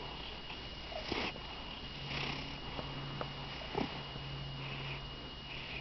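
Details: Pet cat indoors, said by its owner to purr oddly: a steady low hum sets in after about two seconds and runs almost to the end, mixed with soft sniffs and breathy snuffles.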